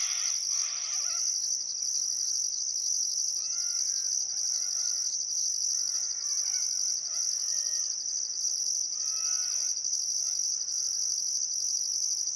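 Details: Sunset cricket chorus on a still summer afternoon beside the Barcoo River, Welford National Park, Outback Queensland: an unbroken piercing trill topped by rhythmic high pulses, while birds add scattered curved whistled notes.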